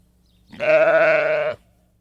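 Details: Sheep bleating once, a steady, wavering, nasal bleat of about one second with a slight tremble through it, over a faint low background hum.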